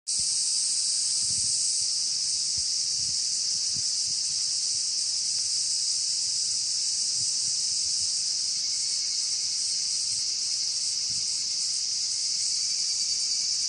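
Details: Cicadas and evening cicadas (higurashi) singing together in a chorus during an evening walk. A dense, steady, high shrill drone runs throughout without pause, and a faint thin tone rises slightly in the second half.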